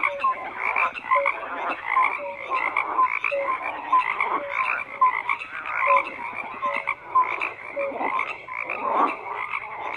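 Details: Croaking frogs fill the recording, many voices overlapping in pulsed rasping bursts, with clear short tonal notes recurring about once a second over the chorus.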